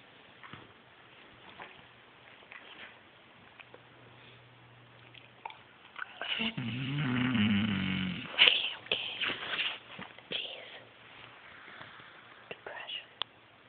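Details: Spoiled pet miniature English Bull Terrier indoors: one raspy, low, rumbling snore-like grunt lasting about a second and a half mid-clip, framed by quiet sniffs, soft clicks and faint rustling.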